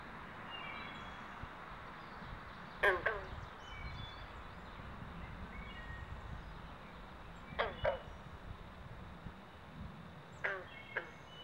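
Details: Carpenter and green frogs croak during mating season at a pond in Southampton, New Jersey, in the Pinelands: short twanging plucks at about three, eight and ten seconds over steady background hiss, with faint whistles from birds.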